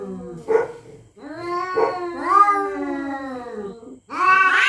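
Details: Territorial cats at night threatening one another: a short sharp cry, then a long, wavering, falling yowl, and a loud, harsh, rising wail at the end.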